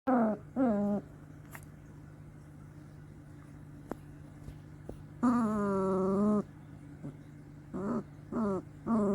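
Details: Two-week-old long-coat German Shepherd puppies, two of them, grunting: drawn-out harmonic whining calls that fall in pitch, a few short and one lasting over a second, spaced irregularly over a steady low electrical hum.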